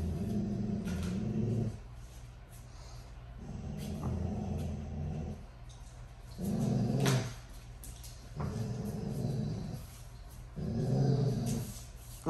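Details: Low, rough growls from two Dogo Argentinos, Tyson at two years and Kilo at two months, playing tug of war. Throaty bursts of about a second recur every two to three seconds, separated by quieter pauses with light rustling.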